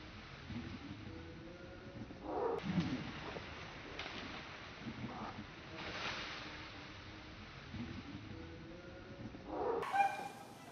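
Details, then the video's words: Big monkey calling near baby monkey Saro, who is frightened by the sound, among natural monkeys on a mountain; harsh harmonic call bursts at about 2.5, 6 and 10 seconds over steady background noise. "When baby monkey SARO is scared the sound from the big monkey makes his face and action so cute."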